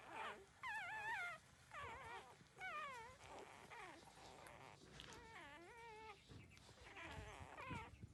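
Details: Puppies only 13 days old feeding at their mother's teats, uttering distinct rising-and-falling whines in separate bursts roughly every second, some falling squeaks and soft grunts between them.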